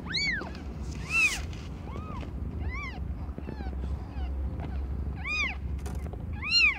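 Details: Domestic cat Aimee, not yet one year old, giving birth to five kittens of different colours; about seven short, high, arched mews come at irregular intervals of roughly one second over a steady low rumble.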